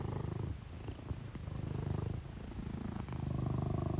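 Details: Sphynx cat, one of Tesla and Edison, purring in a low, continuous rumble with uneven pulses and a soft background hiss.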